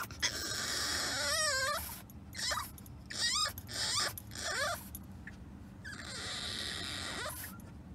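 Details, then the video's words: French Bulldog puppy named Remy whining during a car ride he did not enjoy; high wavering whines in separate bursts, some with a rising-falling warble, over steady low road rumble. "French Bulldog Puppy Whines During Car Ride"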